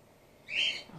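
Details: Grey-headed flying-fox pup in care, being support fed after its mother was trapped in an empty swimming pool and concussed; a single short high-pitched squeak rises then holds, over quiet background hiss.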